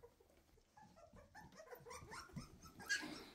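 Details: Two-and-a-half-week-old Weimaraner puppies chasing their mother to nurse; faint, scattered squeaks at first, then denser high whines and yelps building toward the end, ending in a louder sharp squeal.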